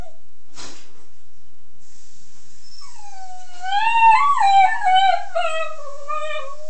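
An Italian Greyhound gives a long, wavering whine that rises and falls in pitch.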